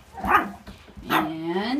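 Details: Puppies belonging to Mandy: a quick yip early on, then a drawn-out, wavering whine that slides upward, with a human voice faintly mixed in.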